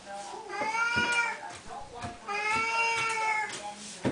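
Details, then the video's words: House Siamese cats at their daily feeding ritual: two drawn-out, nasal meows, each around a second long, with light bumping noises and a person speaking to the cats. "Our Siamese kitties at feeding time... again"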